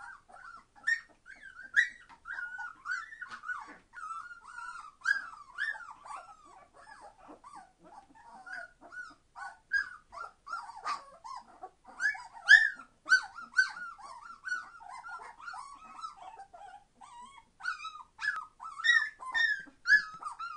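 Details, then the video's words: A litter of 21-day-old Entlebucher Mountain Dog puppies, born 26 September 2015, being very noisy: steady stream of high, wavering whines and sharp squeals, several pups overlapping, with louder bursts scattered throughout. "Entlebucher Mountain Dog puppies 21 days old - being very noisy!"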